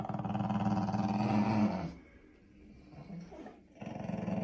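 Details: Winston, a Shih Tzu/Pekingese mix who dislikes bath time, lets out a strong, pulsing throaty growl, falls quiet briefly with soft rustling, then resumes growling.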